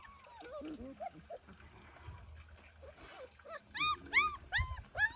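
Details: German Shepherd puppies whining: thin, arched, squeaky cries. Scattered whimpers come at first, then a quick burst of four or five high whines near the end, over faint murmuring and background noise.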